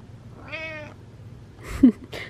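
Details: Domestic cat meowing indoors to get attention, one drawn-out harmonic meow lasting about half a second, followed by a sharp thump and rustling sounds.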